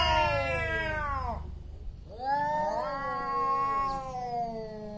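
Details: Big male cats about to fight for territory, with loud meowing: a long, harmonically rich yowl bending downward, a short gap, then a second wavering howl that climbs and holds with overlapping voices.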